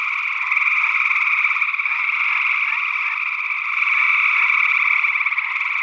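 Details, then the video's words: Gray tree frogs in full chorus, Northwest Wisconsin, early June 2022, on a stereo condenser pair; dense overlapping trills form a steady two-toned buzz that grows louder in the second half. "Gray Tree Frog Calls"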